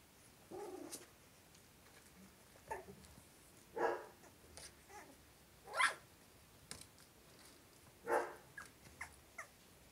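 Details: Cavalier King Charles Spaniel puppies, three weeks old: short squeaky whines and yelps come in scattered bursts a second or two apart, several rising into brief high notes, over a quiet background.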